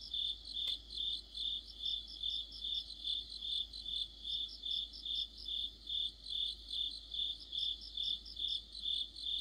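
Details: Crickets and their insect companions fill a mid-autumn night with regular high-pitched chirping, pulses arriving steadily about twice a second, broken only by a single sharp click near the start.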